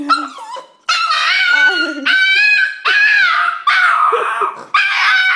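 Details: Pet dog named Lucy greeting her owner on arriving home: loud, harmonic, wavering yowls and whines in long sustained bursts, some sliding and warbling, separated by short pauses.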